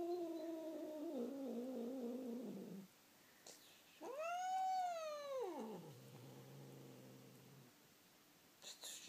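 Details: Indoor pet cat Bamboo responds to its name with a low held meow sliding downward, then after a pause a loud arched yowl that rises and falls before trailing into a low growly tail.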